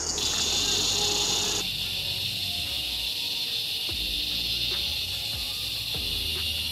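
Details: Ironbark cicadas singing together in gum trees during an Australian summer 2021 bushwalk: an intense high buzzing chorus that drops abruptly to a slightly lower, steady hiss after a second and a half, with faint low rumbling.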